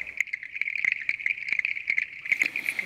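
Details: Male clicking stream frogs give their advertisement call to females at the breeding site: sharp, dry clicks at an uneven pace over a steady high insect-like hum.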